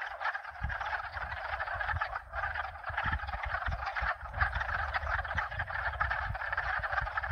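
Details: Frog chorus of at least two species calling together: a dense, continuous wall of overlapping croaks and trills, with low rumbling gusts of wind breaking through underneath.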